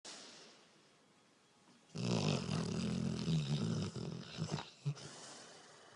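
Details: A female Rottweiler asleep and dreaming while she snores: after a quiet start, a long, loud, rough rasping snore of about two seconds, then a few shorter snorting breaths.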